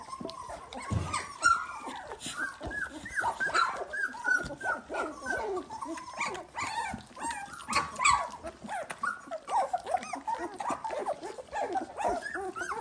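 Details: Still loud after eating, a group of 18-day-old Dalmatian puppies keeps up a steady chorus of high, wavering whines and yelps. The cries overlap continuously with faint rustling underneath.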